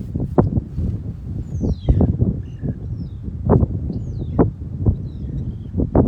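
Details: In Limpopo Lipadi private game reserve, Botswana, African wild dogs give short, sharp sneezes one after another, a signal to head out hunting.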